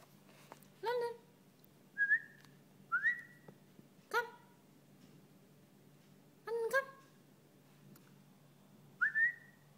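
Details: A Maltese puppy gives short, squeaky, whistle-like whines while playing, some rising and spaced a second or two apart, a noise its owner likens to a kitten's.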